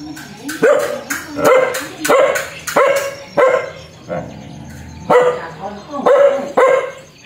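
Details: Fierce dog giving sharp, loud barks in quick pairs and triplets, with a brief lull midway before barking resumes; a faint steady high tone runs underneath.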